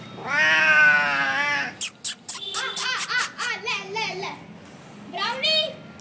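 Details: Hungry street kittens crying for their mother cat in India: a long, loud wavering meow first, then a run of short clipped mews and a final meow, with a person calling softly in between.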